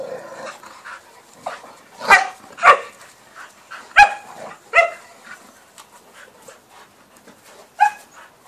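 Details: Playful barking from a young male Cane Corso, nine months old, romping with Entlebucher and Appenzeller females; scattered sharp barks and yelps every second or so, some doubled, amid scuffling.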